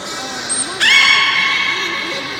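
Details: Captive beluga in a public training session at Port of Nagoya Public Aquarium, 24 March 2018, afternoon 16:30 show: a thin high whistle blast followed abruptly by a strong, sustained, bright harmonic squeal that rises at onset and slowly fades.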